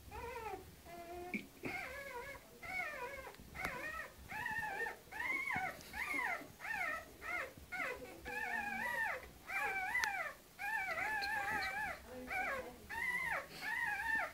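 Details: Canaan dog with her pups, a long run of high, wavering whines and yelps in arched bursts roughly every half second, steady and insistent, indoors.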